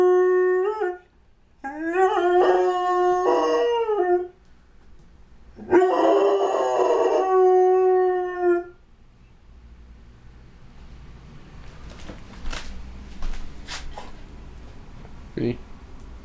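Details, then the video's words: Howling at a fire truck, a pet Doberman-Labrador mix named Vinnie, who lives near the fire department. Three wavering, rising-then-level howls fill the first nine seconds, then soft clicks and rustles in a quiet room follow. "Dober-mutt howling at firetruck"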